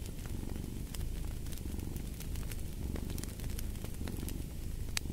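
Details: Low, continuous purring of a cat beneath a busy layer of fireplace crackles and snaps, the rumble less clearly pulsed and partly blended with the fire's noise.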